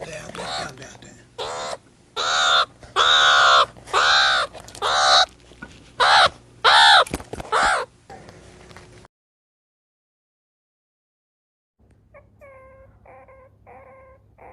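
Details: Meerkat calls: a run of loud, arched, harmonic cries repeated about once a second for eight seconds, then a pause and a quieter burst of short, rapid, high chirping notes.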